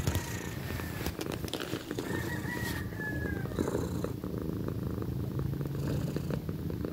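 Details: A female cat, nearly one year old, purrs loudly, a steady low rumbling throb that never breaks.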